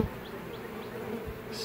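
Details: Western honey bee swarm that left the nuc box it was shaken into and settled in a coffee can holding scraped wax, in a backyard apiary; a soft, even low hum continues throughout the short stretch.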